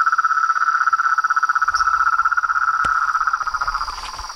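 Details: Frogs of a pond chorus at nightfall, beside a house veranda: a loud, rapid pulsing trill at steady mid pitch fades toward the end, with a faint high hum and low rustling.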